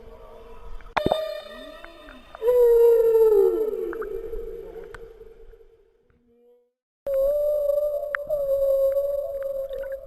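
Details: Humpback whale, mother and calf moving north out of Bahía de Banderas: a sharp upward whoop, then a descending moan that fades to near silence, followed by a steady level tonal moan with harmonics.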